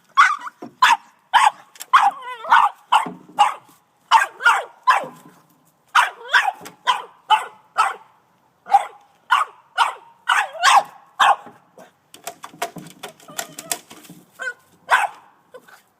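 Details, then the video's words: Boston Terrier aged 18 months barking frantically at a snow shovel, iPhone recording; a long, dense run of rapid barks, several per second, with brief yips and a scraping clatter near the end. "Boston Terrier Dog Barking At A Shovel"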